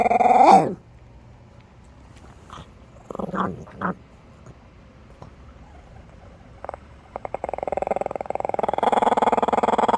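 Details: Chihuahua in Minneapolis making growling noises: a loud opening burst, scattered short grunts, then a pulsed, rattling growl that builds and holds steady toward the end.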